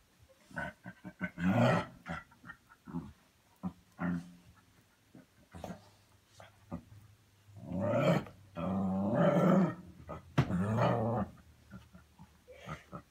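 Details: Playing pet dog indoors making funny noises: scattered low grumbles and short growls, building to longer throaty growling bursts in the second half.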